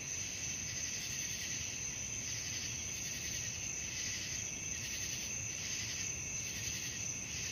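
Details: Night-time cricket chorus: a dense, high, unbroken ringing with faint rhythmic pulsing, set against a quiet low background hiss.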